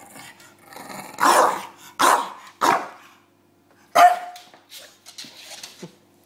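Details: Bulldog James tussling with his pillow, letting out a run of three broad, hoarse barks in quick succession, then a higher yelping bark after a pause and small snorts, against a faint steady hum.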